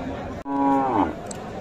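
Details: Holstein Friesian cow with her calf at a livestock market in Thakurgaon, Bangladesh, in December, giving one short moo that slides slightly downward at the end, with crowd chatter around.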